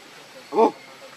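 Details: Baby monkey that has lost its mother, crying: one short, loud, tonal squeal with bright stacked bands, lasting about a fifth of a second, set against a faint steady background hiss.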